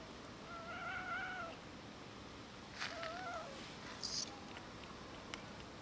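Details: Quarrelling cats and kitten over food; a wavering, harmonic meow near one second, a shorter bent mew at three seconds, plus sharp clicks and a brief high squeak.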